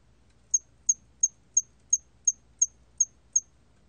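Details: Nine crisp, very high cricket chirps in a steady row, about three per second, from a hairy cricket in the National Institute of Biological Resources collection, 2020, over a faint low hum.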